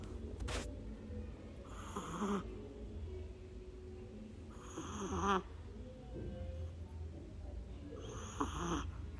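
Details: Sleeping Shih Tzu puppy snoring: rasping, buzzy snorts come roughly every three seconds, each lasting under a second, over a steady low hum of room noise.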